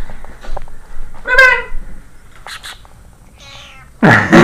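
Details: Moonbeam, a pet cat lying in bed, filmed June 2013, gives one clear, drawn-out meow in the middle, with faint rustling before it and a loud burst of handling noise at the end.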